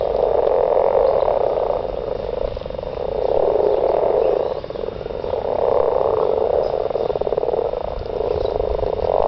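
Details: Mating frogs in a garden, many voices croaking together in a continuous rolling chorus that surges in loudness roughly every three seconds, with a brief dip midway.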